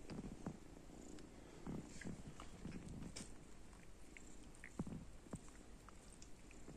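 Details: Domestic cats and kittens just awake in the morning, a low continuous purr pulsing gently, broken by soft rustling and brief small clicks, including a sharper tap near the end.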